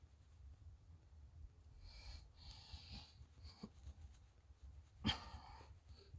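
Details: Shiba Inu named Chichi, a friendly dog kept near Kanehama in Aomori City, Aomori, Japan, petted while its moulting coat is groomed out; soft snuffling breaths, then one sharp, explosive broadband sneeze burst near the end.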